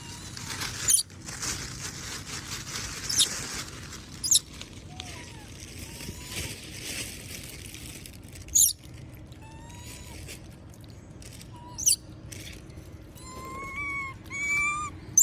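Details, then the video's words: Moby the monkey begs for food while others eat peanuts: thin, high whining squeaks, each short and slightly arched or rising, growing more frequent toward the end, amid sharp cracking clicks and steady background hiss. "S@d Sound Monkey Moby Ask Food While Others Eating Peanuts"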